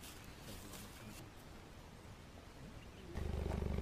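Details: Cheetahs at a breeding project for the endangered species in South Africa, met on a walk: a low, rapid pulsing rumble that continues steadily and swells loudly in the final half second, with faint rustling around it.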